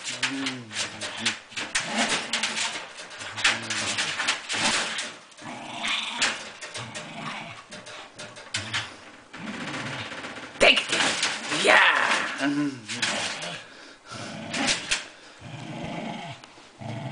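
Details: Gunnar the dog gives low, rough, rumbling growls in irregular bursts through the first five seconds, then shorter grumbles, with a person's voice speaking praise nearby and scattered sharp knocks.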